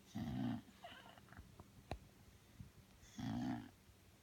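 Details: Sleeping Bulldog named Belle, tired out, gives two loud rasping snores roughly three seconds apart, each about half a second long. Soft breathy noises and a sharp click fall between them over a steady low hum.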